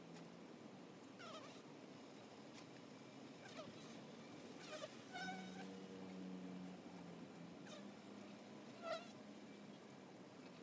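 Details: Honey bees around a hive entrance: an even, rough humming that swells midway into a louder, steadier drone, with occasional short clicks and higher chirps over the buzz.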